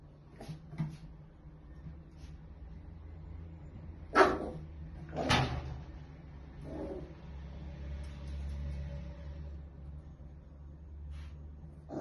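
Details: Hugo, a Maltese, barks at random things around the house indoors: a few sharp, isolated barks, two loud ones close together near the middle, then softer scattered sounds over a steady low hum.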